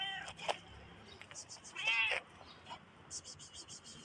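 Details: One brief, high, strained meow from a black cat near the middle, surrounded by scattered clicks and light rustling noises.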